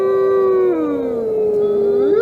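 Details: Gray wolf howl, used to carry messages over long distances about the pack's location, danger warnings or dominance over a territory; one pure, steady tone with a second voice dipping lower then sweeping back up at the close.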